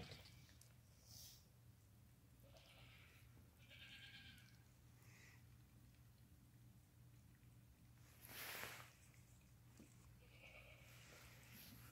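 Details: Lambs under five hours old calling near their mother while nursing; several brief high bleats spaced through the recording, with a loud broadband rustle or knock around 8.5 seconds and a constant low background hum.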